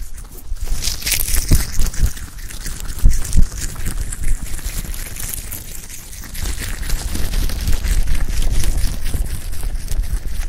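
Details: A rabbit (Oryctolagus cuniculus) eating clover, with soft, rapid, irregular crunching and tearing sounds.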